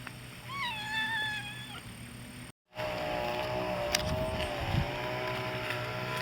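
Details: Kitten recorded on 18 September 2012: a single thin, high mew that wavers and falls slightly and lasts under a second. A short break follows, then a steady low rumble with faint clicks.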